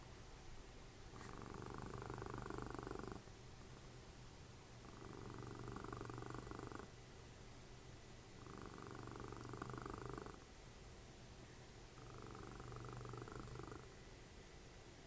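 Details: Dessie, a cuddly domestic cat and mother of Fritjof, snores while cuddling indoors during TV watching: four long, low rumbling breaths, each about two seconds, with quiet pauses of roughly one and a half seconds between them.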